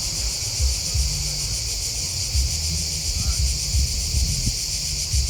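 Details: Crickets chirping outdoors in a steady, dense high-pitched shimmering chorus, with low rumbling wind and rustling noise underneath throughout.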